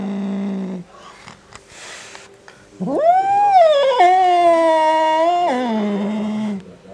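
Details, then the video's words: Angry male house cat indoors, provoked by a black cat outside: low growl, brief quiet, then a loud sustained wailing yowl of about four seconds, level then dropping into a growl. "Angry Cat makes Funny Sounds"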